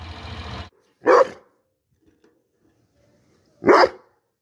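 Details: Dog giving two loud, short, harsh barks about two and a half seconds apart, after a brief burst of broadband noise, with silence between the barks.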